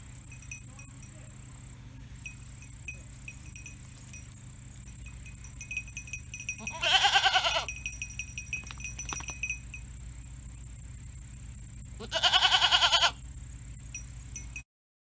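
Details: Domestic goat kept at home, a mother bleating after her kid was moved to another place, apparently from worry: two loud, wavering, nasal bleats about five seconds apart over a steady electrical hum and quiet background.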